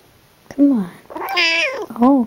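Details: Young female Siamese cat kept as a pet indoors, drowsy while being petted; three clear meows, the first two short and falling, a longer rising-falling middle one, with a woman's soft voice talking to her nearby.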